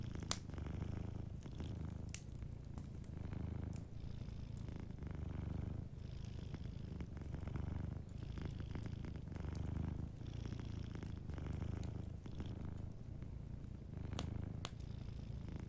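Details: Deep continuous purring of a sleeping cat, a throaty rumble pulsing in slow, regular breath-length waves, lightly overlaid by the faint ticks and snaps of a crackling fireplace.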